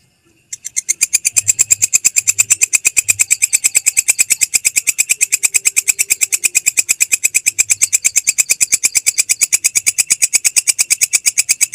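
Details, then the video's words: Belalang kecek grasshopper, a tutor sound for training songbirds: after a short silent start, a continuous, highly regular stream of dry, high, ratcheting pulses carries on for over ten seconds. "MASTERAN SUARA BELALANG KECEK, Jernih Panjang"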